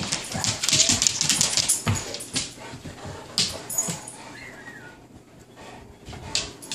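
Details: Bullmastiff and Dogue de Bordeaux playing together, giving a busy run of sharp, hissy bursts and short yips in the first two seconds, then a thin whimpering tone and quieter scuffles indoors.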